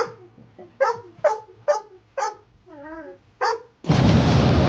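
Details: Rescued pit bull mix, male, barking when upset as a person makes pretend play bombs: about five short sharp barks roughly every half second, a wavering whine, one more bark, then a loud burst of broad noise at the end.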